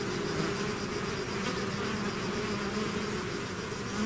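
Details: Swarm of bees leaving the hive: an unbroken, even buzzing drone of countless wings, low and steady throughout.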